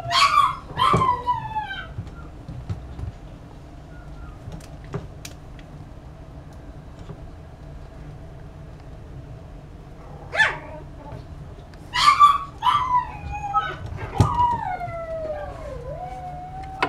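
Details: Chihuahua puppy yipping twice at the outset, then silent for long stretches before a single yelp, a cluster of shrill yips around twelve seconds, and a long wavering whine that dips and rises; otherwise a quiet room.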